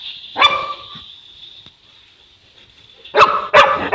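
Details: Boerboel, a South African Mastiff living in Egypt, gives one resonant bark, falls quiet over a steady high hum, then fires off three rapid heavy barks.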